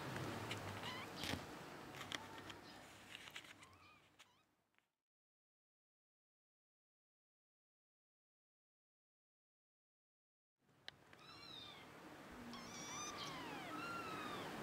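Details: Hissing rustle and clatter give way to silence, then a kitten's thin meows return, several short rising-falling calls and one longer high-pitched wail near the end.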